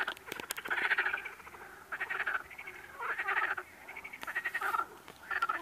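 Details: Frogs croaking in rough, pulsed bursts with a rattling texture, each burst lasting under a second and recurring roughly every second, with a few sharp clicks near the start.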